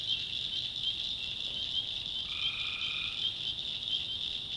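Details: One short, level, trilling call from a tree frog, under a second long, rising above an unbroken shrill chorus in a North Carolina backwoods swamp at night.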